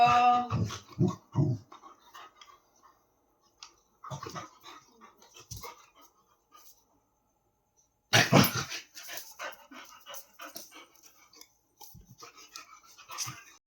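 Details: Labrador Retriever at play: a quick run of three or four harmonic barks at the start, quieter scuffling and snuffling, then a loud noisy burst of rough play sounds and panting later on.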